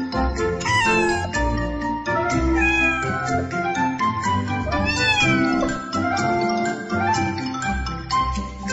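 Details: Domestic cat meowing, several short rising-and-falling mews spread across the recording, heard against cheerful background music with bright tinkling tones.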